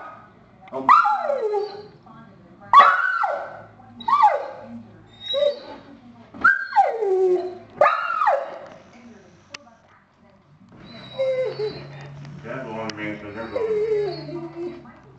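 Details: A dog alerts to a family of deer passing through the front yard with its special deer bark: five whining barks that drop in pitch, roughly one every 1.5 seconds, then softer whimpering with a low hum beneath.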